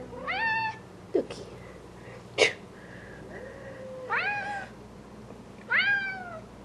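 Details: Bengal cats (Papaya, Bamboo, Mango) reacting as a dead butterfly is held close for them. They give four or five rising-falling meows spaced about a second apart, with a soft low hum and a couple of sharp clicks between calls.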